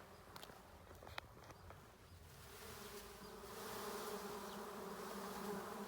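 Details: Bees found in rice fields during a honey-hunting outing: a steady, low droning hum that swells louder through the second half, with a few sharp clicks and rustles near the start.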